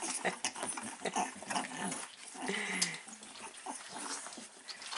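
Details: Three-week-old Staffordshire Bull Terrier puppies with their mother, recorded 9 April 2019: scattered short squeaky whines and grunts among rustling and shuffling, with one brief whistled squeal in the middle.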